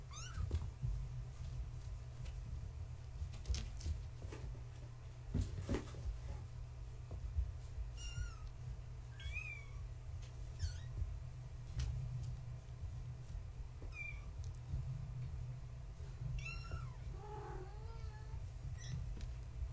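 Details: Gaia's kittens, born March 14, 2017, playing at bedtime as one tries to climb over a fence. Quiet rustling and scuffling at first, then a scattering of short, high kitten mews in the second half, over a low hum.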